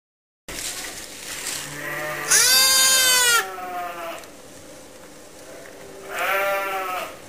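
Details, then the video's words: Motherless lambs held in a pet lamb pen to be watched over and fed regularly; loud wavering harmonic bleats, one long cry mid-clip and another near the end, with quieter bleating between. "More Lambs in the pen"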